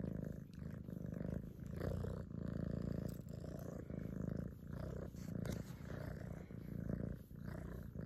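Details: Purring cat grooming, deep low vibrating purr in regular breathing waves roughly each second, unbroken, with occasional soft clicks from licking.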